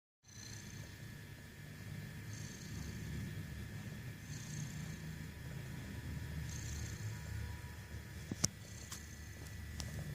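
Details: A cat snoring while awake: soft, raspy rhythmic breaths recurring about every two seconds over a low rumbling undertone. A couple of sharp clicks sound near the end.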